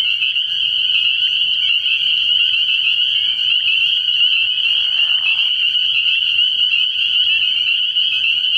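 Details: Night chorus of many spring peepers at a frog pond early in the year, the shrill piping calls overlapping into one continuous high-pitched drone without gaps.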